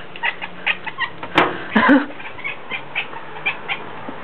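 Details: A cat talks at birds with short, clipped chatter bursts in a steady series and a couple of louder sharp clicks partway through.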